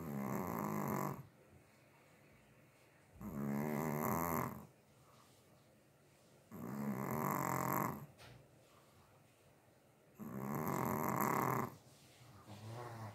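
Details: Little Chihuahua fast asleep, four steady rasping snores about a second and a half long, repeated roughly every three seconds, then a fifth beginning at the end, with hushed gaps between.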